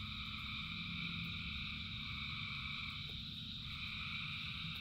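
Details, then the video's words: A packed chorus of frogs singing during rain, with layered buzzy tones held steadily and fast repeated pulses, over constant deep rain noise. "Frogs in Rain 2 Hours of Frogs, Thousands of Frogs Singing"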